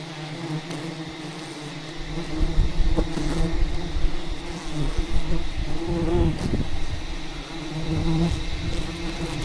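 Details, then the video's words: Aggressive bees from a giant wild jungle hive attacking during the harvest; the low buzzing drone swells louder after the opening seconds and stays thick and steady, with rustling and thuds from the work. "ATTACKED by Angry Bees While Harvesting a Giant Hidden Beehive"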